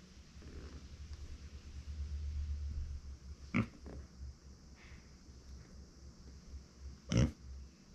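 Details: Female micro pig Uni, a house pet born in September 2020, calling out when left without company; low rumbling indoors, then two brief abrupt grunts spaced about three and a half seconds apart.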